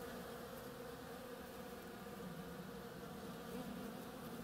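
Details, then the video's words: Bees foraging on oriental creeper blossoms; a short, dense, even buzz with a steady humming pitch, swelling slightly toward the end as a louder bee passes close. "Bees hard at work on my oriental creeper"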